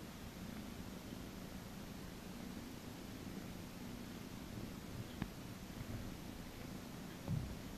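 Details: Domestic cat being massaged at a cattery, purring softly: a low, steady rumbling hum that runs without a break, with faint rustling and one or two soft clicks near the end.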